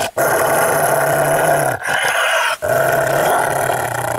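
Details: An angry Rottweiler gives a steady, deep, rasping growl, held for over a second at a time with two quick breath gaps.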